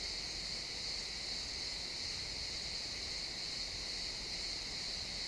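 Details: Pine forest at sunset with a cricket chorus, XY stereo recording: a continuous shrill, even buzz of overlapping chirps with no pauses, and quiet rustling forest background underneath.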